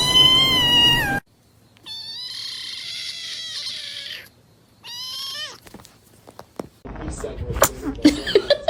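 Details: Domestic cat, described as vicious and mad, giving long loud harmonic meows and drawn-out caterwaul-like wails with gaps between, ending in clattering noises and a brief human voice.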